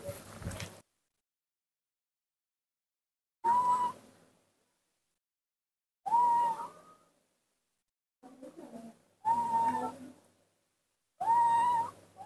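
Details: Baby monkey Nomi, hand-raised and confused, playing alone in the dirt of a front yard: five clear whistled cries, each a sustained tone bending slightly up then down, separated by two-second silences.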